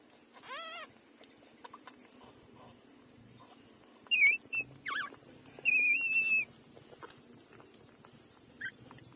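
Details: Three-day-old puppies suckling from their mother. Thin, high squeaks and squeals: a quick wavering cry near the start, then sharper piercing squeals around four to six and a half seconds, one held flat, with soft background rustling.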